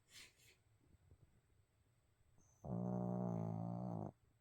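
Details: Sleeping pet dog Abel snoring: a quiet stretch with a faint breathy rustle, then one loud, steady, harmonically rich snore lasting about one and a half seconds before stopping abruptly.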